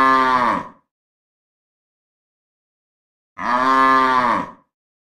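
A cow gives two deep, harmonic moos, each under a second long, separated by silence.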